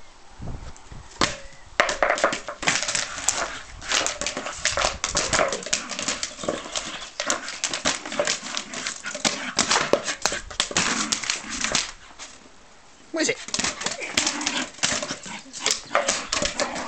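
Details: Odie the dog goes crazy playing with his favourite toy, an empty 2 litre bottle; loud crackling and crunching of plastic fills the scene, mixed with excited dog vocalisations and brief barks, with a short quieter pause near the end.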